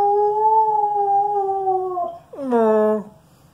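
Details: A female Alaskan Malamute, slightly hoarse, howls while playing with her favourite squeaky toy: a steady, slightly falling two-second howl, a brief break, then a lower, sliding, throaty howl that fades out.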